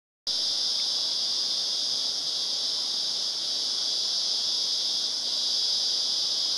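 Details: Cicadas in Glenbrook, Blue Mountains National Park, recorded 30 March 2014: a loud, steady, unbroken buzzing drone high in pitch, holding constant without pause or rhythm for the whole stretch, with no other clear sounds.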